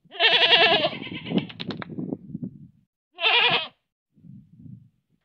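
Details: In a village in Manpur, a goat lets out a long, quavering, nasal bleat followed by lower rumbling and clattering, then a short, bright bleat after a pause and soft low grunts.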